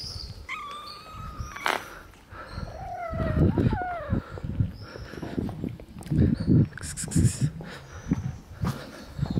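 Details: Ginger and gray kitten giving several thin, harmonic meows, a short rising one near the start and a cluster of wavering, falling mews midway, over frequent low thumps and rustling handling noise.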